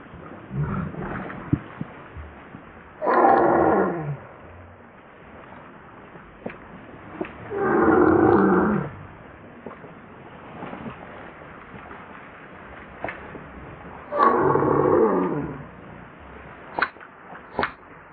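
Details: Hungry baby macaque cries to its mother for milk in three loud, rasping wails about one second long, spaced several seconds apart, with scattered clicks and quiet rustling between.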